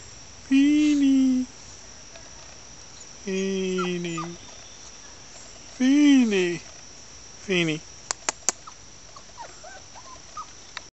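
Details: Fini, a pet Chihuahua, whining behind a fence for her absent owner: four long, wavering nasal whines, some rising then falling, spaced a few seconds apart, followed by soft clicks and faint high chirps over steady insect buzz.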